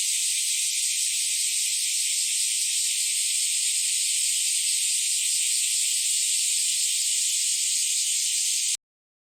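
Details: Bear cicadas and Kaempfer cicadas calling together on an early summer morning in July 2023: a dense, unbroken shrill buzzing that holds steady at one loudness throughout, then cuts off abruptly at the end.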